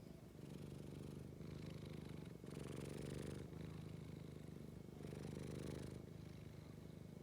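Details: Scottish Fold cat producing a low, rhythmic purr in alternating inhale and exhale phases roughly every second, steady and gentle, with a faint electrical hum behind it.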